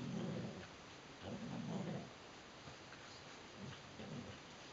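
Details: Adult Border Collies Neo and Joy at tug-of-war, both grown strong; deep, throaty growls swell in three bursts, the first two loud and the last softer, over a steady background hiss.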